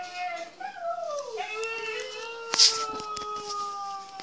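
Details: Siberian Huskies Mishka and Laika playing inside the house, one 'talking': a drawn-out, harmonic, moaning vocalisation that wavers and then slides down in pitch, holding a low tone to the end, with a sharp clatter midway.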